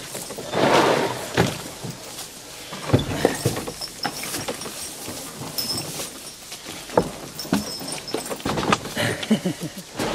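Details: Near Lublin, a Hucul horse pulling a wagon in harness gives a breathy snort amid thuds and hoof clops.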